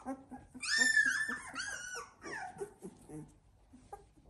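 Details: Labrador Retriever puppies aged 16 days, Z2 litter, with a long high whine early, then low grunting and faint whimpers, plus soft voices in the room.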